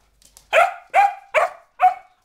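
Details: A four-month-old springer spaniel puppy, excited and going slightly crazy, lets out four sharp, fairly high barks roughly every 0.4 seconds, each with a quick fading tail, in a quiet room.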